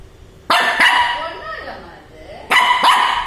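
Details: A small Shih Tzu in Chennai, scared of a Batman bike toy, barks in two quick double yaps about two seconds apart while a person speaks Tamil softly in between, trying to calm it.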